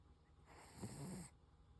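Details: Single short snore from Koro the Toy Poodle, a grainy, breathy inhalation with a low fluttering rattle, lasting under a second in otherwise quiet surroundings.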